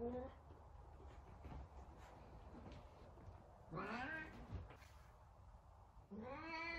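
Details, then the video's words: An angry F2 Savannah cat living indoors gives short rising-and-falling yowls, a strained cry in the middle and a sharp rising meow at the end, with a person speaking nearby in a small room. "Angry Cat"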